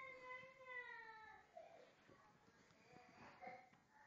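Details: Eleven-week-old Springer Spaniel puppy named Sam, retrieving and playing around: a drawn-out, gently falling high whine lasts about a second and a half, followed by softer scuffling and human voices talking nearby indoors.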